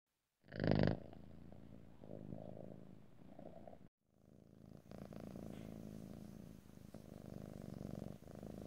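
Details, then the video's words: Cat purring, recorded in stereo ear to ear: a brief loud rustling burst opens, then a steady low rumbling purr with a short silent break near the middle before the throbbing purr resumes. "ASMR Cat: Purring"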